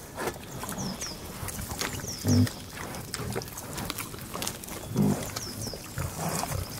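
A pig gives low, rough grunts in short bursts, with faint high chirps in the background.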